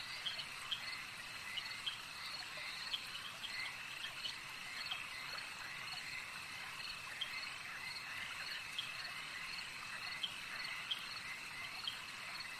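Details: Lake frogs in full chorus: an unbroken wash of high buzzing trills, with crisp clicks and brief chirps scattered throughout at uneven intervals, and a quiet hiss underneath.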